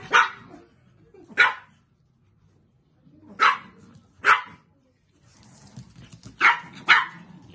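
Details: Chihuahua Minerva, a graduate of the Kastropulo Chihuahua kennel, greeting from Achinsk: six sharp, high barks, most coming in close pairs with quiet gaps between them, and a faint murmur in the background.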